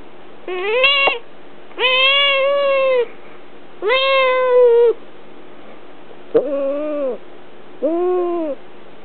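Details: Pet female cat held in someone's arms gives long, steady, moaning whines lasting around a second, five in a row, the last two lower and wavering, with quiet gaps between.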